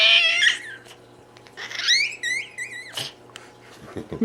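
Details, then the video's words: Cat squeaking: bursts of short, high, wavering squeaks at the start and again midway, a sharp hiss-like burst after that, then low rough growly sounds in the final second. "Squeaking(and hissing, and growling) Cat"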